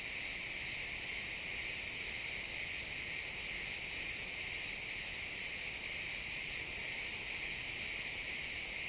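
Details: Chorus of chirping crickets in pine woods at sunset, captured with an XY stereo recording: bright, high-pitched trilling that throbs in regular beats roughly twice per second over a faint hiss.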